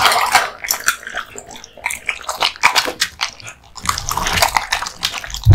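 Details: Male American Bully (Pit Bull) born 2016 eating raw meat and bones: wet smacking and crunching, a brief pause, then denser chewing with a low rumble and a sharp thump at the end.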